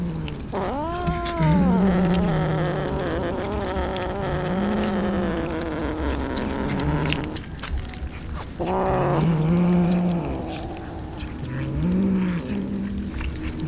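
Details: Several poor street cats eating raw fish: two drawn-out, wavering meows rise and then fall, one near the start and one about eight seconds later. A softer meow comes near the end, over steady low engine hum and scattered clatter.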